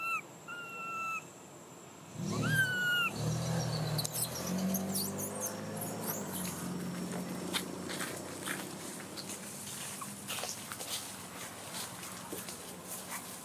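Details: Baby macaque in Siem Reap Province, crying very loud while searching for milk, gives a few high whistled cries with bending pitch in the opening seconds. Lower, rougher sounds and steady outdoor noise follow.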